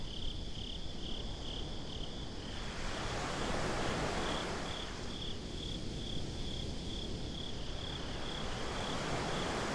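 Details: Crickets at the beach after dark, captured binaurally: a quick, regular series of shrill chirps carries on while waves rush in and break, their roar rising midway.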